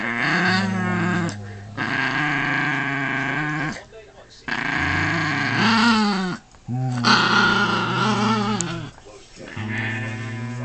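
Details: Doberman and miniature pinscher dogs indoors, giving long drawn-out growling and moaning vocalisations with wavering, harmonic tones in runs of one to two seconds, separated by short pauses, with some overlapping talk.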